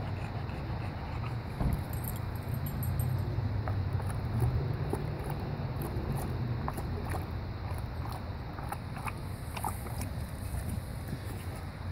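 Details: A steady low vehicle rumble with light jangling and rattling clicks on top, and no animal call.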